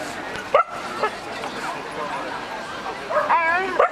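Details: Alaskan malamute males in the champion class at the Heinola Dog Show, 2011: short high yelps near the start, then a wavering, whining yodel of rising and falling tones toward the end, over a steady murmuring crowd.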